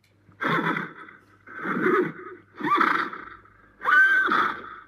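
A horse gives four breathy, wheezing neighs, each under a second long and about one per second, with a rough, pulsing low edge and no other sounds.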